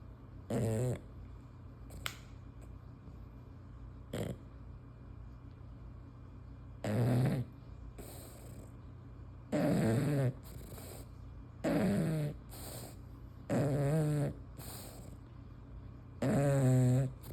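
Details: A female English Bulldog snores while asleep with her tongue hanging out, in loud, rumbling, rattling breaths that come every few seconds.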